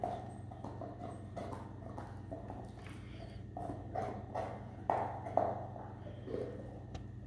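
A Weimaraner gnaws a bone, making irregular knocking and crunching clicks over a steady low hum.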